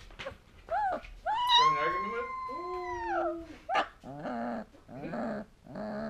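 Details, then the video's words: Two-week-old female Alaskan Malamute puppy howling for the first time, indoors: long drawn tonal wails that rise and then slowly fall, broken by short whimpers and squeaky yelps near the end. "2 Week Old Malamute Puppy Singing the Song of her People"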